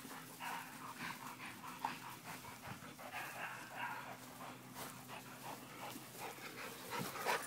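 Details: Playing dogs, a Pit Bull, Presa Canario and American Bulldog, give rough, grumbling vocal bursts repeated through the scuffle, with scratchy movement noise between them.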